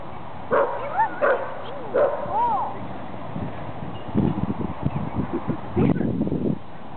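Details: Buddy, a Dachshund, meets Cooper, a Wheaten Terrier/Giant Schnauzer mix, at Golden Gardens park in Seattle; a run of short, arched, rising-falling yips in the first three seconds, then people talking and greeting the dogs.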